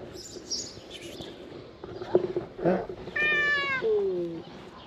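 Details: Stray cats emerging from green grass and approaching a person for food; after rustling and a few soft thumps, one clear drawn-out meow, harmonic-rich and falling in pitch toward the end, with a man speaking briefly.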